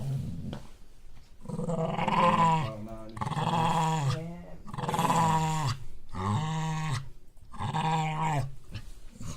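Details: Pet dog refusing to give up its bone, growling indoors in a small room: four long, rough, rumbling growls with wavering pitch, each lasting one to two seconds and separated by short silent breaths.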